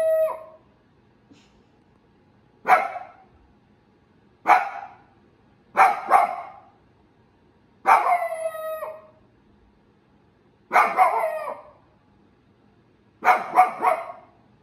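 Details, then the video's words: Miko, a female Shiba Inu, gives sharp, high barks, some of them stretched into yelping, falling cries. "Shiba Inu Barking"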